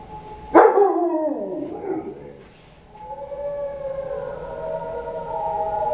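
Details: Dogs watching Doctor Zhivago give a loud howl that bursts out and glides steeply down, followed by a lull, then a sustained steady tone, likely film music, that continues to the end.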